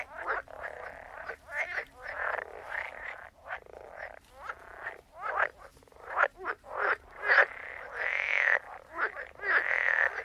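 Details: A chorus of frogs croaking, with short grating pulses and longer drawn-out rasping calls overlapping irregularly, some higher buzzy notes toward the end, above a faint low hum.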